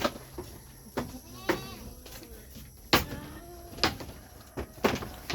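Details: Goats in a growing herd with many new additions, the female goats multiplying fast; several short wavering, harmonic bleats rise and fall between sharp knocks and bangs, with a speaking voice over a low hum.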